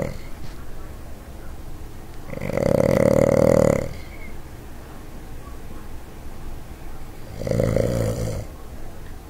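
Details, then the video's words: A Boston Terrier snores up a storm in two long, rattling, nasal breaths about five seconds apart. "Boston Terrier SNORE"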